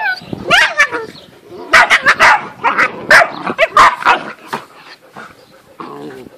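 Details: Two male and three female Great Dane pups, 8.5 weeks old, from a litter dated 4 June 2014. Dense clusters of shrill yaps and squeaky barks come in quick bursts, easing toward the end into softer whimpers.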